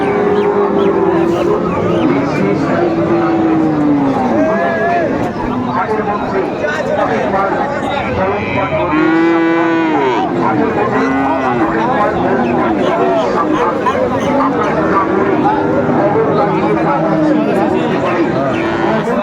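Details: Friesian and crossbred bull calves at the Raniganj cattle market in Dinajpur on 18 April 2024. Low, drawn-out moos, some rising and falling in an arch, sound over constant crowd chatter and bargaining voices.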